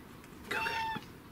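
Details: Indoor female domestic cat answering her owner's chatter with a single steady, tonal meow of about half a second, clear and nasal, over faint room hum.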